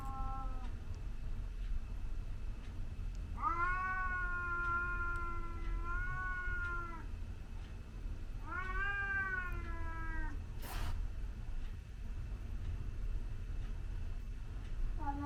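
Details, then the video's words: Scottish Fold cat facing off against a white stray that comes into the garden, real-time: a sustained, wavering yowl of about three seconds, a shorter one after a pause, then a sharp knock-like burst and a brief final cry. "Cat fight"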